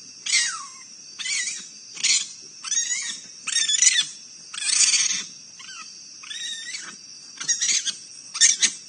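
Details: Raccoons fighting in Akron, Ohio, giving harsh, raspy screeches and wavering squeals in quick, uneven bursts.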